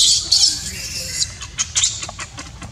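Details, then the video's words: A young monkey, left uncared for by its mother, cries with a shrill, strained squeal at first, then shorter sharp yelps that fade, over a low steady background hum. "Poor baby monkey cries when Mom Monkey does not want to take care."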